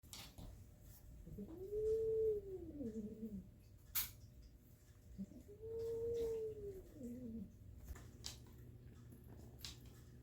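A kitten gives two long, drawn-out meows that rise and then sag downward, about four seconds apart.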